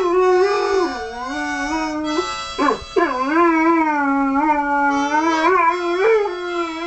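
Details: A dog howls along to harmonica music, its long wavering howls sliding down and back up, with a brief whimpering break midway before the howling resumes over the steady instrument.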